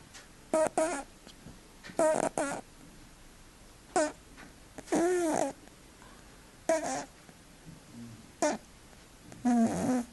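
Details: Cat snoring loudly indoors: nasal, harmonic bursts that rise and fall, coming in uneven pairs and singles about every one to two seconds in a quiet room.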